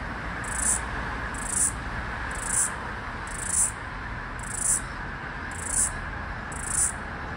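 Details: Aleeta curvicosta, the floury baker, last cicada of Australia's 2022/2023 summer, near a busy street: evenly spaced high buzzy pulses about once per second, each with a slight swell, over faint traffic hum.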